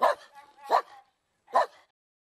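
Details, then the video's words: Loud, sharp dog barks, three in all: two close together with a brief ringing tail, then a pause and a final bark. "Dogs BARKING LOUD Compilation"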